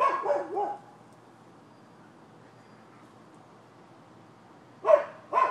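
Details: Barking from neighbouring dogs on 12/7/15, with a quick burst of two or three barks at the start, several seconds of near silence, then two more abrupt barks closing the stretch.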